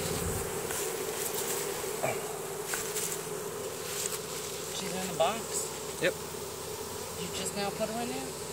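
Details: Honey bee swarm marching into a new hive box, releasing Nasonov pheromone to signal the others that this is home; a steady low droning hum runs throughout, with brief human voices and a few soft knocks over it.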